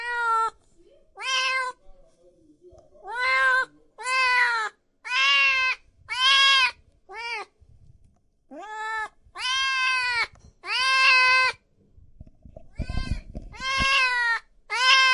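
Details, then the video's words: Kittens and cats meowing loudly: a rapid series of about fifteen harmonic, arched meows, each under a second, some higher and more strained, with brief low thumps and faint background noise between calls. "Sounds of Cat Meowing and Kitten Meowing |Baby Cats Meowing |Cats Meowing Loudly"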